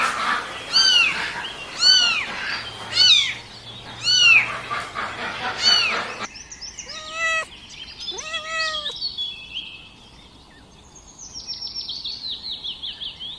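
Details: Kittens crawling around and asking for their mother's milk, giving high, arched mews in a quick series over the first six seconds, then a few lower mews, followed by a faint high twittering trill near the end.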